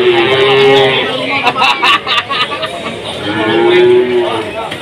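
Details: Two short moos from cattle at the Jatirogo livestock market in Tuban, amid foot-and-mouth disease concerns. A trader's voice and background music fill the gap between the calls.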